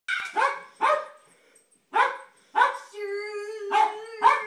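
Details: Jack Russell Terrier barking at kids playing with light saber swords: five sharp, harsh barks in uneven bursts, the last two overlapping a steady, low electronic hum from the toy.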